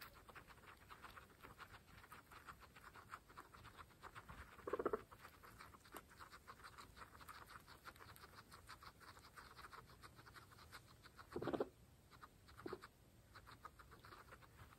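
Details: Fresh grass eaten by pregnant female guinea pigs, part of a household of 26: continuous crunchy nibbling broken by two brief low squeaks about seven seconds apart and a softer third one just after.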